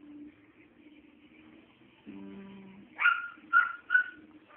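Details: Pet dog giving three short, high, whining yips in quick succession about half a second apart, after a quiet stretch with a low steady hum.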